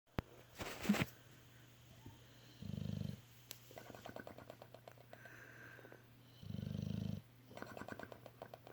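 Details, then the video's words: Sleeping bulldog snoring and making lip bubbles: two low, rumbling, pulsed snores about four seconds apart, with soft crackling pops between them and a sharp noisy burst near the start. "Sleepy Bulldog lip bubbles while snoring"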